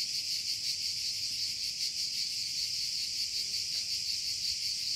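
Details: A shrill, unbroken cicada buzz with quick rhythmic pulsing and gentle swells in volume over a quiet low background.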